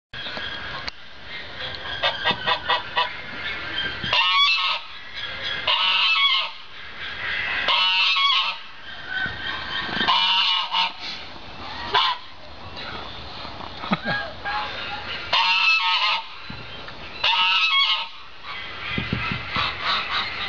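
A red fox gives hoarse, honking calls in short bursts, repeated every few seconds.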